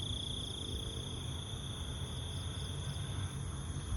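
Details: Insects, with beetles, frogs and crickets named, heard while walking through the jungle: steady, high, shrill ringing tones hold throughout, over constant low rumbling footstep and handling noise.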